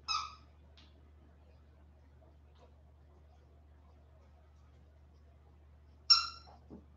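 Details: West Highland White Terrier puppies, 47 days old, back indoors after an outdoor break: one sharp, high, tonal yelp, then about six seconds of near quiet before a second matching yelp, followed by soft rustling.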